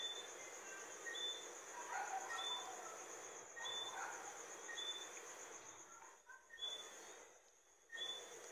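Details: Johnstone's whistling frog (Eleutherodactylus johnstonei) giving short, high whistled notes about once a second, with lower chirps from other callers over a steady insect hum and faint background noise.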